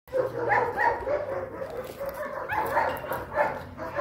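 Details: Liver sable, long-coated German Shepherd puppy, 8 weeks old, giving high, whiny yelps and short barks in quick, uneven succession over a steady low electrical hum.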